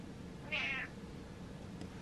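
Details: House cat calling its owner to follow it indoors: one short, bright, high meow lasting about a third of a second, over low steady room noise.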